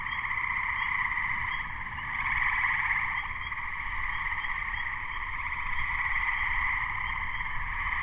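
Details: A Gray treefrog (Hyla versicolor) chorus in May 2010, just before a thunderstorm, with dense, overlapping musical trills and Spring Peepers calling in the background.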